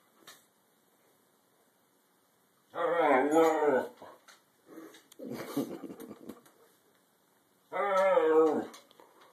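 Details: A female Siberian Husky indoors, objecting because she wants to go back outside, gives two long, wavering "talking" yowls that rise and fall like sung sentences, amid a person's voice and soft rustling.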